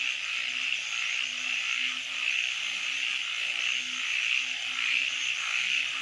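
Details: Night frog chorus, a continuous shimmering high trill overlaid by short, low, humming croaks that come in an uneven series roughly one and a half times per second.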